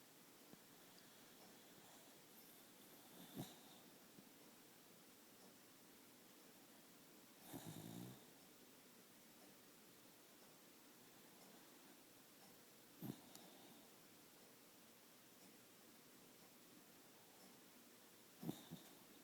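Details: Dog snoring indoors in a small quiet room: a few soft, rough snoring breaths spaced several seconds apart, the longest around the middle, with faint clicks between them and a low steady background hiss.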